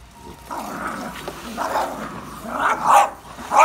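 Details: Dogs attacking a pool vacuum, giving low growls and rough barks that build in intensity, with a loud bark near the end and a repeated pattern roughly every half second.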